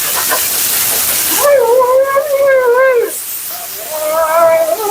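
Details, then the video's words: Mila, a talkative female Siberian Husky at her second-ever groom, voices complaints over the roar of a blow dryer: a drawn-out wavering howl-like moan lasting over a second, then a shorter rising and falling whine. "Talking Husky FURNADO Bath and Blowout"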